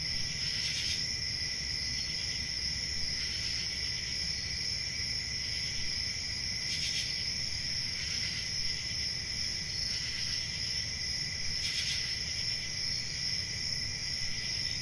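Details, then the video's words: Night crickets on a country summer evening sing a continuous high trill, while a nearer insect adds short loud bursts roughly every two to three seconds over a low rumble. "10 Hours Relaxing Cricket Sounds For Sleep | Ambient Summer Night"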